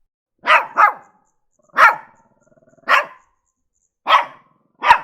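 A Shih Tzu gives sharp, high barks, a quick double bark followed by single ones about a second apart.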